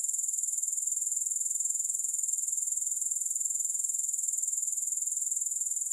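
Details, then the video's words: Grasshopper chorus recorded for relaxation, no music: an unbroken, shrill, high-pitched buzz with fast, even pulses throughout, steady in loudness with no other sounds. "3 Hours of Grass Hopper Sounds"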